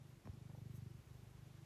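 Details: Domestic cat purring loudly enough to be picked up by a nearby microphone while its owner types; steady low rhythmic rumble with a faint soft click.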